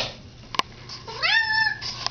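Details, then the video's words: A pet cat indoors, said to be talking: one drawn-out meow that rises, then holds steady for about half a second, with a brief click just before it and a woman speaking to it. "cat talking"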